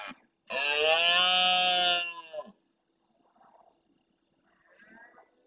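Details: Red deer stag in the El Rocío marshes of Doñana, Andalusia, bellowing at the start of night in reply to farther roars. A single strained, harmonic roar lasting about two seconds trails off, followed by faint rustles and pulsing crickets.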